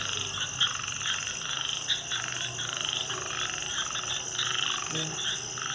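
A dense night chorus of frogs, with continuous high trilling and pulsed croaks overlapping.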